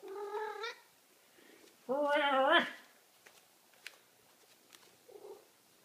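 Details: Huge Maine Coon cat having its belly rubbed meows twice: a short rising meow, then a longer, louder, wavering one a second later. Faint rustling and clicks follow, and a person talks to the cat.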